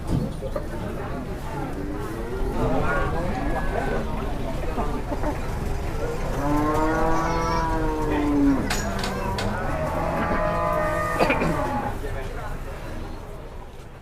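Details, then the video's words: Cow in a frenzied state, called possessed during a commotion, moos repeatedly: three drawn bellows, each one to two seconds long, some bending down in pitch. Human voices and clatter can be heard between the calls. "SAPI MASIH KESURUPAN ‼️ GEGER GEDEN PART 2"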